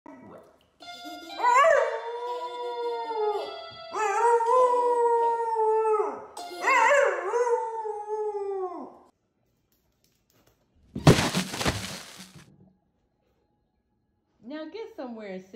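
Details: Pet dog singing: long drawn-out howls with wavering, slightly sliding tones in three bursts, a short noisy clatter, then a final rising howl, with background music and people talking.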